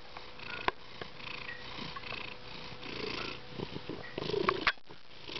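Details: Garçon, a pet cat said to love purring and expressing himself, purring softly and steadily at close range. A low continuous rumble runs with faint clicks and rustles.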